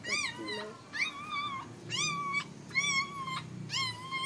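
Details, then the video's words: Squeals heard while Siberian Husky Heather is in labour: five loud, shrill, wavering whines, each lasting about half a second and coming roughly once a second, with a soft low rumble and faint voices beneath. "Heather husky labor day"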